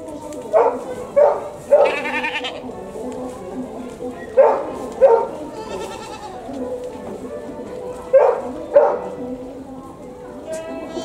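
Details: At a zoo in Japan (Tobu Zoo), a goat (Capra hircus) gives loud, wavering bleats in short bursts that sound strikingly like a person crying.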